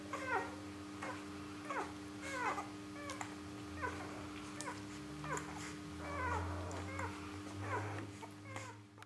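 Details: Three-day-old Rhodesian Ridgeback puppies feeding, a litter born 21 September 2013 in Perth, Western Australia: many short high squeaks and squeals, some wavering, repeated irregularly over a low hum and soft suckling noises indoors.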